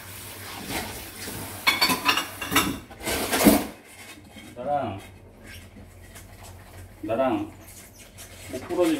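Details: Kitten Narang, a domestic cat, indoors beside its owner's feet while dishes are washed, trying to settle down to sleep; two short arched meows rising and falling, amid a person's talking and clattering dishes and cutlery.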